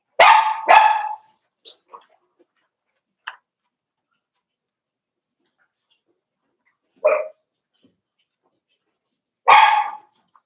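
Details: Five-week-old Cavalier King Charles Spaniel puppies from Daisy's litter in their indoor puppy pen: a quick pair of sharp, bright barks, a few faint yips, then single barks near seven and nine and a half seconds, with silence between.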